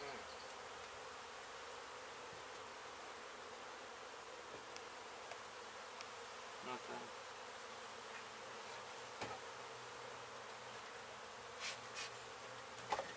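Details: Disturbed honey bee colony at a demolished house in Mission, Texas, where construction crews hit the hive before a rescue; an even, continuous swarm drone over thirteen seconds with faint scattered taps and knocks.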